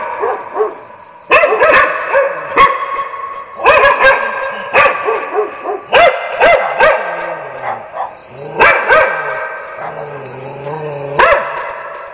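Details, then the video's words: Several dogs barking for desensitization training, loud sharp barks in bursts of two to four, irregularly spaced, with a higher yip among them and a low hum between bursts. "1-Minute Dog Bark Test"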